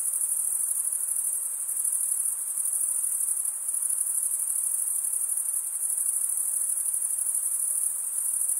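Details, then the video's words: Steady high-pitched chirping of crickets merging into one shimmering ringing tone, slightly fluttering, continuing without pause; only the insects are heard. "Most relaxing cricket sound"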